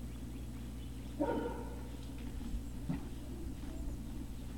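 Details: Great Dane puppies at Puppy Hill, recorded from about 17:06. A short, sharp yip breaks out once, then a fainter one follows, both over a steady low electrical hum.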